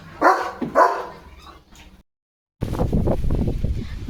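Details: Leo, a pet German Shepherd, in a home yard on a stormy, windy day with rain and a rainbow. Two loud, short barks sound within the first second, then a brief silence, followed by gusting wind and a person talking.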